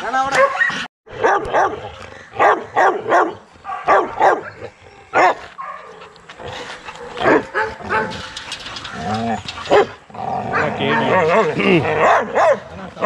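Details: Young Rottweilers barking in a kennel exercise yard: loud, repeated barks in quick bursts from more than one dog, with a brief gap of silence near the start and noisy clatter throughout.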